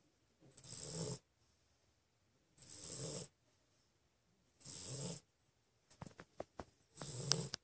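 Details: Pit bull asleep lying down beside his brother, snoring in long rasping breaths that repeat about every two seconds, with short clicking noises between the last two snores.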